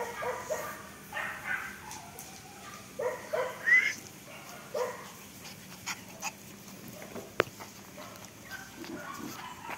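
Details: Black Pomeranian puppies yipping and whining in scattered short bursts, some rising squeaky notes, with a sharp knock partway through and quiet background noise.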